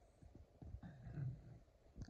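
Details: Sully, a Boston Terrier, tugging at his red ball as if it were a tug toy, gives a low rumbling growl held for about a second, framed by soft thumps and shorter grunts in a small indoor room.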